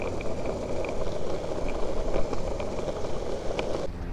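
Steady rolling, vehicle-like rumble with faint clicks and scrapes, and no animal voice, until it cuts off abruptly.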